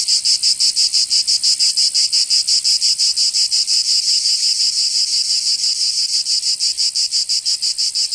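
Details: Summer cicada chorus from Provence in the south of France, a loud metallic buzz throbbing in steady, even pulses about three per second throughout, nothing else audible.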